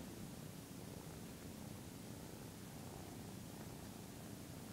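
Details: A 13-week-old Maine Coon kitten named Taniwha purrs steadily while washing his owner. A close, even, low throbbing hum sits under a hiss of background noise.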